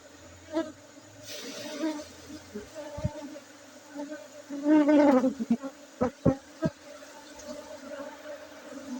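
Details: Honey bees in Aceh, Indonesia: a steady low hum with a higher overtone runs throughout, swelling into louder wavering buzzes near the middle as bees pass close, with scattered sharp knocks and clicks.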